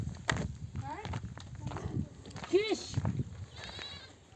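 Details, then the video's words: Nomadic flock of mother sheep back from grazing near oak trees, bleating for their lambs to suckle; short quavering bleats, one loud arched call near the middle, mixed with people talking and camp noises. "The sound of mother sheep returning from the pasture to breastfeed her babies"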